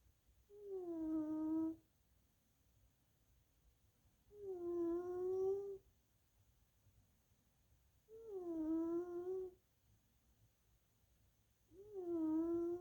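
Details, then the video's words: Wheezy snores from Little Missy, a female tuxedo cat asleep while cuddling indoors, a remnant of earlier sinusitis and bronchitis; four drawn-out humming whistles, each falling slightly then leveling, spaced about four seconds apart over faint room hum. "60 SECONDS SNORING TUXEDO"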